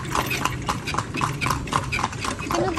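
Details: Horse ridden while touring Vigan: crisp, evenly spaced hoof clops on pavement, about four per second, sharp clicking strikes throughout, with faint background murmur.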